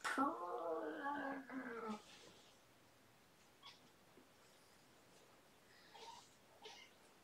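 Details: Domestic cat indoors during an evening play session with the cats Minion and Lizzie, Shelby's household; one long, drawn-out harmonic meow lasting about two seconds, slightly wavering in pitch, then quiet rustling and soft clicks.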